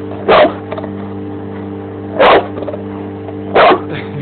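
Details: Three deep, separated barks roughly every one and a half seconds from a Bandog Mastiff objecting to a running lawn mower, whose low hum fills the background.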